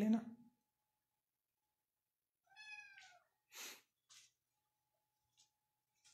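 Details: Persian cat at a cattery in Pakistan giving one clear, drawn-out meow that rises slightly and then falls. It lasts under a second and follows a brief burst of human speech, with a few soft clicks and rustles afterwards.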